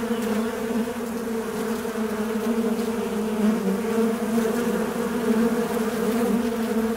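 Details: Low, constant buzzing of a fly, the drone wavering slightly in pitch and loudness, with no other sounds audible.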